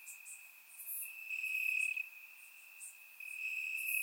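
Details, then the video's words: Crickets in grass on a warm summer night, Bulgaria: a continuous piercing trill wavers in strength, briefly thinning mid-clip, while faint higher ticking insect notes scatter across the background. "Cricket Sounds - Crickets Chirping at Night"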